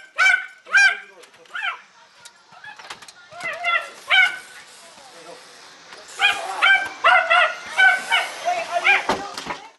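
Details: Pet Jack Russell Terrier called Jay, said to have dependency issues, letting out scattered high yips and barks, some whiny, with a busier run of quick barks near the end.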